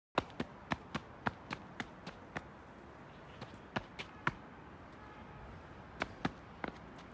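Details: Sharp, dry taps and knocks ring out in an uneven series, some in quick bursts and others spaced apart, over a low steady background hum. No animal voice is heard.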